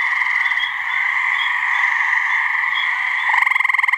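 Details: New Hampshire swamp at night-like calm: a gray treefrog's mating trill begins near the end, a fast pulsing rattle breaking through a continuous high droning chorus of other callers.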